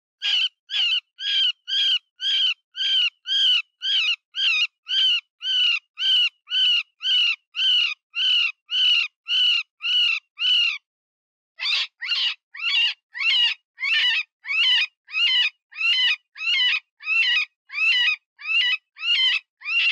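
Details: Eastern cottontail distress call used as a predator lure for hunting fox, jackal, wildcat, marten and wolf: loud, strained squealing cries repeated nearly twice a second in a long steady series, briefly pausing before resuming with rougher, wavering notes.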